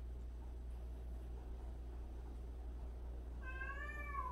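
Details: Cat from a household of 76 cats, including strays and abandoned cats, gives a single clear meow near the end that dips and then rises, after a long stretch of steady low hum.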